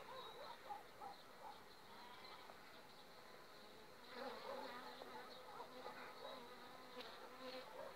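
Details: Bees of an overwintered colony on five frames, recorded two weeks before acacia bloom; dense buzzing hum that swells louder about halfway through, with faint ticking sounds.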